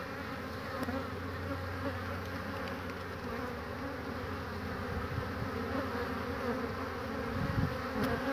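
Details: Honey bees at a hive entrance on a fine spring day, 22 March 2019, crowding in through a single entrance and bringing in pollen: a steady, dense low hum of many wings, with occasional louder passing buzzes.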